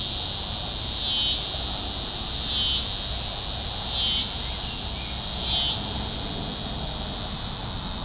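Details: T. pruinosus cicadas calling after dark in Carey Park in mid-June 2010, first of the season; loud, unbroken high-pitched rasping drone with evenly spaced throbbing pulses about every 1.4 seconds, fading slightly at the end.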